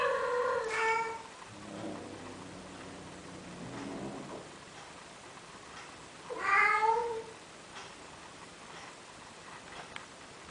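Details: Male cat courting a female Siamese cat in Athens, Greece, trying to persuade her to mate: two bright meows about six seconds apart, a softer, lower murmuring sound between them, and a faint background hiss.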